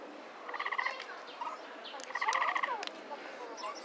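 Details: Capybara at Inokashira Park Zoo, Japan, filmed 19 February 2012, giving a squeaky kyuru-kyuru call: two bursts of stacked, harmonic chirps around half a second and two and a half seconds, with fainter squeaks and background murmur between.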